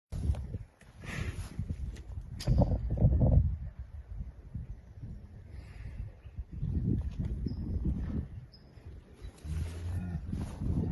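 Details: Big bull making a big noise: deep, rough low rumbling bellows, loudest around the third second, then quieter throaty rumbles later, over steady outdoor background noise.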